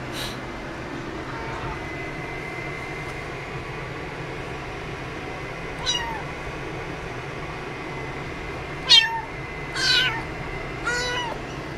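An American Shorthair cat gives a few short, high-pitched meows over a steady background hum.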